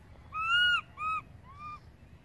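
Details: Young monkey calling loudly for its absent mother, who has gone far off: two strong arched, whining cries close together, then a softer, shorter third wail, clear and tonal with rich overtones against quiet low rumble.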